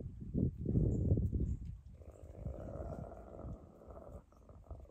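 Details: Wolves at Northern Forest Zoo on 23 February 2024, where 22 same-aged wolves share an enclosure, as two high-ranking wolves muzzle-grab a low-ranking one: rough low growls and scuffling first, then a steady snarling rasp.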